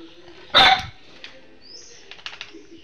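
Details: Household dog that fails to recognise the owner's wife barks at her: a single loud, harsh bark partway through, followed by faint clicks and low background hum.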